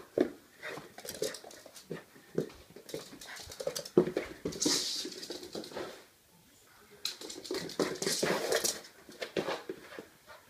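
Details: A miniature pinscher at play gives short yips, whines and grumbling growls in irregular bursts, with scuffling noises between.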